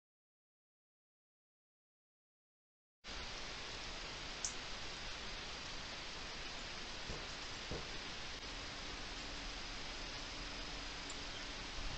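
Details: Three seconds of silence, then a steady broadband hiss like rain or pink noise, with no animal voice standing out.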